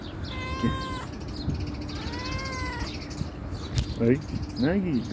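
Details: Calico stray cat answering a woman calling it in Turkish; two clear meows, the second longer and arched, followed by her chatter and short voiced sounds.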